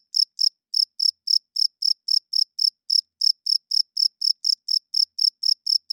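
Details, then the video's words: Male cricket chirping loudly at night to attract females and establish territory, high clear pulses in pairs and short bursts, about four per second, steady and unbroken, with no other sounds. "Cricket Chirping Sounds - Cricket klinkt 's nachts luid"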